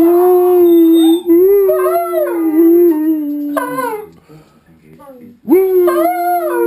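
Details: Howling session of two house dogs joining in with wolves on a TV programme, a shared chorus meant to bond the pack; overlapping sustained howls with wavering, sliding pitches, a short pause near the fifth second, then a fresh rising howl.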